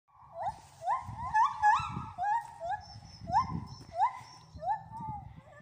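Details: Three gibbons at the Wales Ape and Monkey Sanctuary sing loud, clear whoops, each note sweeping upward and following quickly on the last, over a low rumble of wind or handling.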